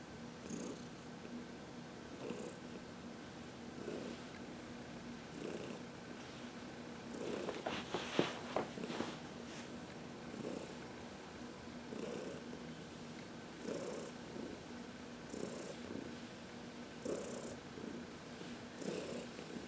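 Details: A contented 14-year-old cat named Heidi purrs through a massage in the sun, March 19, 2021; rhythmic low purring rises and falls with her breathing, broken midway by a short louder rustle or snort-like disturbance.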